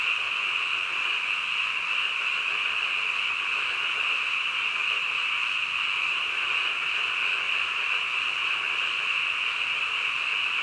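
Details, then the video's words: Frogs chorusing at midnight, a long, steady, high shimmering drone of overlapping calls with no distinct pauses and nothing else clearly heard. "한밤중 개구리 울음소리"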